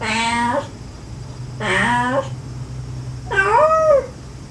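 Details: Gentle calls of a stray mother cat to her kittens mixed with the kittens' clinging mews. Three meows: two lower, wavering calls close together, then a higher, bending meow that rises and falls, over a steady hum.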